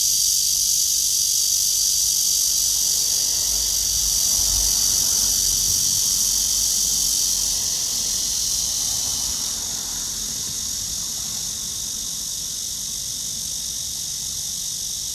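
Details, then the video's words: Cicada in a tree under a blue sky, heard on a walk on 23 August 2020 at 9:27 am: a loud, steady, shrill high-pitched drone with a fast pulsing texture, easing slightly in volume after about nine seconds. "나무에 매미"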